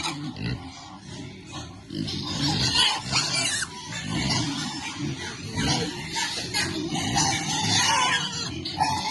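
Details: Piglets enjoying cool water and happy, giving a steady mix of low grunts and scattered higher squeals over continuous splashing and broadband watery noise.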